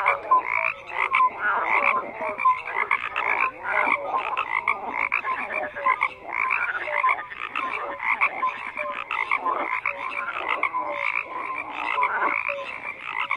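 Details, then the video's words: Many frogs croaking together in a dense chorus, overlapping pulsed croaks packed between roughly 500 and 3000 in pitch, with short tonal notes dotted through and a steady, unbroken texture of calls. "FROGS CROAKING"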